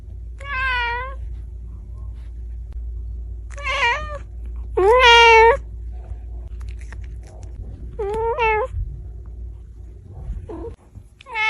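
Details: Cat and kitten meowing: five short harmonic meows spaced about two seconds apart, some rising then falling in pitch, over a faint low steady hum.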